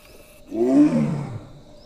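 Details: A female Royal Bengal tiger in Kaziranga National Park gives a single deep, moaning roar, rising then falling, calling for a mate.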